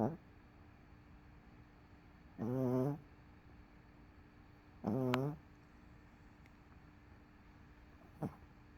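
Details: After a rough day MoMo the dog sleeps on a couch, CoCo nearby; two loud, buzzy snores with a rattling, vibrating tone, about two and a half seconds apart, then a brief faint snort.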